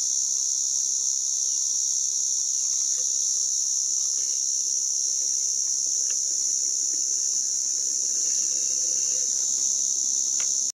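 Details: Sustained high-pitched buzz of a white drummer cicada (Arunta perulata) running the whole length, with scattered faint clicks and taps and a soft rustling background underneath.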